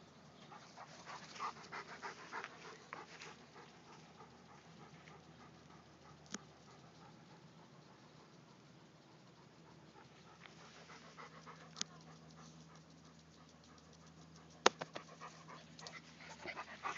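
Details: Two pet dogs at play, a black Labrador puppy named Bailey and Roscoe, a big German Shepherd and Labrador cross: steady quick panting with scattered whimpers and occasional sharp knocks.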